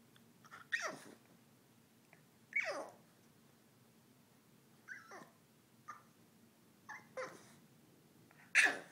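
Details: Boston Terrier named Mr. Babypants whining about nothing in particular: a series of high, falling whimpers sliding down from around the upper register, about seven separate cries spread over nine seconds with quiet gaps between them.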